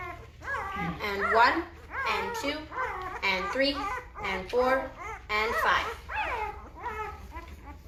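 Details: Several Great Bernese puppies aged five days whining together nonstop indoors, a dense chorus of overlapping, wavering cries rising and falling in pitch without pause.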